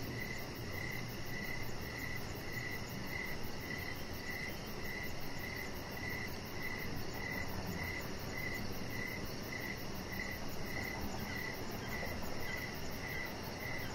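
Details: Crickets chirp through the evening beside a decorated, lit deck where a chihuahua lies; a long, even run of about twenty brief chirps, backed by a fine high pulsing trill and a steady low background murmur.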